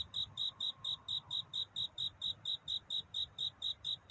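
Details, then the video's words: Cricket song of courtship on a night before dawn, a rapid series of sharp, high-pitched chirps, evenly spaced at over two per second, clean and steady with only a soft low background. "편안한 잠을 부르는 귀뚜라미 울음소리. 슬퍼 말아요 우는 것이 아니라 사랑을 찾는 노래랍니다 구애의 밤"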